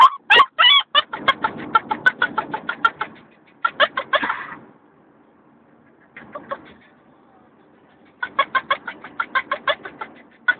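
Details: Female Vizsla puppy aged 10 weeks, in a crate during a three-hour car ride home from the breeder, gives rapid, chattering, monkey-like yips in quick bursts, with laughter; Vizsla.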